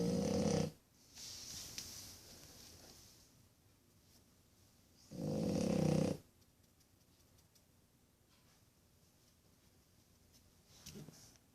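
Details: One-year-old French bulldog puppy snoring indoors after a hard day of playing: three loud, rasping snore bursts about five seconds apart, separated by quiet, softer breathing.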